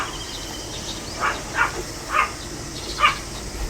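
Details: Barking of a pet Pomeranian, dated 25 July 2015: four quick, bright yaps about half a second apart over faint hiss.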